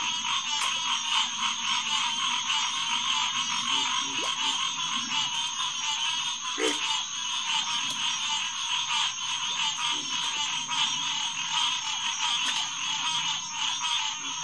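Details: Green tree frogs, Hyla cinerea, chorusing at a refuge pond beside a boardwalk on a June night in 2021; thick overlapping calls throughout, with sporadic deeper croaks and a low rumble underneath.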